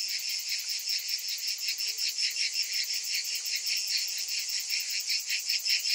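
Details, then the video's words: Summertime cicada chorus: unbroken high-pitched rasping buzz, beating in regular rapid pulses, layered with a faint fast ticking above; nothing else audible. "Cicadas in Summer"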